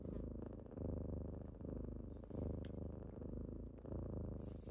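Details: Low, throaty kitten purring on a typical morning as the kittens wake someone up, pulsing in even breath cycles, with a faint high squeak and a short rustle at the close.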